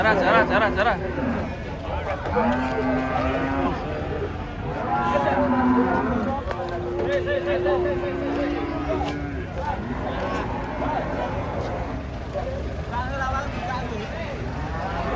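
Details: Several sustained, low, flat moos from giant, aggressive cattle being taken off a truck, heard under steady talking from a crowd of onlookers.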